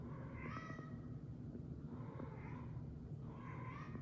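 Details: Pet cat Annie, on her nightly hunt of a toy fish after midnight, recorded on an iPhone upstairs: three drawn-out, wavering meows made with the fish in her mouth, spaced about a second apart, over steady low room rumble.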